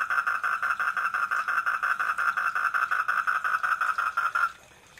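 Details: A tree frog (Polypedates leucomystax) at a garden koi pond at night gives a steady, rapidly pulsed mid-pitched call that stops abruptly.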